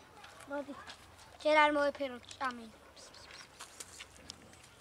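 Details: A cat from a big colony living near a dumpster and feeding from it gives one strong, drawn-out meow that rises then falls, followed by a shorter, fainter call, over a steady low hum.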